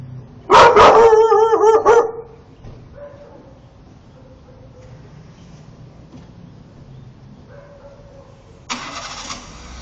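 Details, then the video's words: Fuyu, a male Akita Inu with a shaved coat, howls angrily at a car parked in front of the house: a loud harmonic howl with wavering pitch for about a second and a half, then softer drawn-out tones, followed by a burst of engine-like noise. "Aullidos de Fuyu (Akita Inu)"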